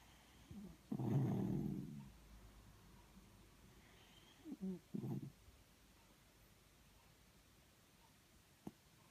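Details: Miniature schnauzer snuggling and snoring indoors: one long, low rumbling snore near the start, then two shorter snorting snores, with quiet room noise and a faint click near the end.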